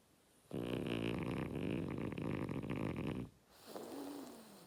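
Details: Loud, buzzy, rattling snore from Oleg the French Bulldog, nearly three seconds long, then a thin whistling tone that slides downward as the breath eases.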